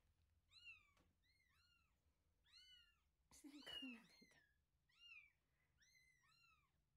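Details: Indoors, older cat Hime enters the place of new gray kitten Lara, a month-old wild-blooded kitten from Paraguay, just after meeting; high, thin, arched meows come singly and in quick pairs, about eight in all, broken mid-way by a harsh, noisy burst.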